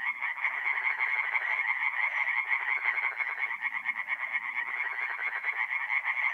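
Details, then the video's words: Night chorus of tree frogs at a forest pond in north-eastern Italy, mid-April; many males call together in fast, rasping pulses that merge into a steady, bright churring wall of sound without pause. "relaxing forest pond by night with singing tree frogs"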